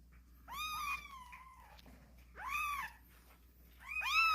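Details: Kittens crying boldly: a long drawn-out meow that slides slowly downward, then two shorter arched cries, bright and harmonic, against a quiet background with a low hum.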